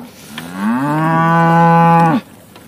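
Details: Aberdeen Angus cattle on a Lubuskie farm in Poland, led past an electric fence energiser and panel on the way to corn grazing; one loud, long, steady low moo of about one and a half seconds, rising at onset and dropping off abruptly.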